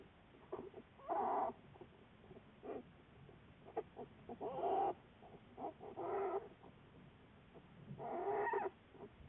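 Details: American black bear recorded February 10, 2014 during a long-term research study. Faint, bursty hoarse calls in short groups about two seconds apart, mid-pitched with rough harmonics, separated by soft clicks and rustling.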